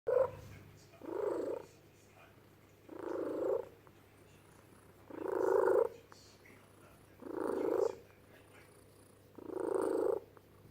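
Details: Female office cat gives low, throaty, pigeon-like cooing growls, six drawn-out moans each lasting under a second, repeated about every two seconds in a quiet indoor room.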